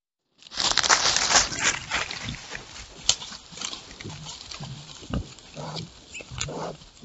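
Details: Wild boars exploring at night: loud broadband rustling and snuffling in the first seconds, then a series of short, low grunts spaced about half a second to a second apart, over quieter scratching noises.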